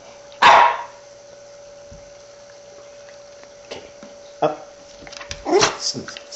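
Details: Shiba Inu; sneeze; begging for food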